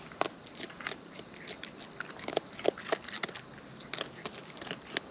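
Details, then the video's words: Close-up wild raccoons eating; sharp crunchy bites and wet smacking clicks come every fraction of a second, with a thin steady high tone behind. "Wild Raccoons & ASMR Chewing Sounds"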